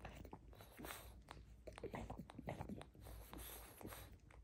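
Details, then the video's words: Pug gnawing eagerly on a rope toy in a small room, recorded up close: dense, steady crunching and wet biting clicks with no pauses, faint hum in the background. "Мопс жадно жуёт игрушку.Вкусная веревка."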